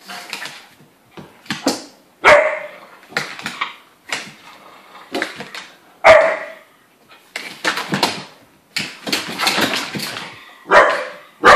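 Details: Three dogs at play indoors, an Irish wolfhound in heat, a pug and a young Landseer: repeated short, loud barks and yaps at irregular intervals, some doubled, with scuffling between bursts throughout.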